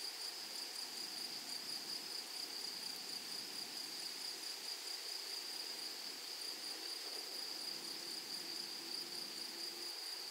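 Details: A continuous high-pitched drone rises from grasshoppers in a flowering prairie meadow, an unbroken shimmering hiss with a faint higher overtone. A brief low tonal sound appears near the end.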